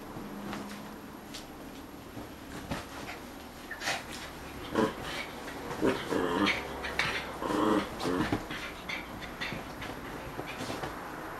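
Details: Male puppy Angus playing with his female friend indoors: soft rough growls and snuffling bursts at irregular intervals, with scuffling and thumps of play.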